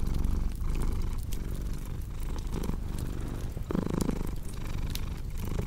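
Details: Cat purr as a low throbbing drone in breath-length pulses, joined by crackling fire pops and a few soft scraping, rustling noises.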